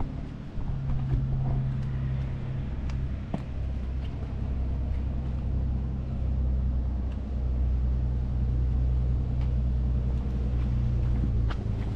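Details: Outdoor urban noise with a continuous low engine hum and passing vehicles, no animal voice.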